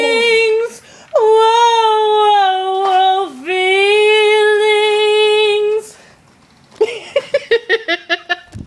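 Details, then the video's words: Two adopted Alaskan Malamutes, Rosie and Zeus, very vocal dogs singing along to the song "Feelings" indoors: a long steady tonal howl with rich overtones, a brief swooping dip partway through, then a run of short rapid yips. "Adopted malamutes sing along to "Feelings""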